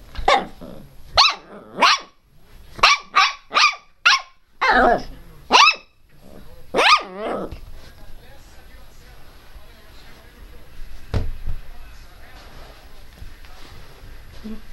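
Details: Angry, loud barking from Teco, a pet Pinscher: a rapid run of about ten shrill yaps over the first seven seconds, then quieter background noise with a single knock.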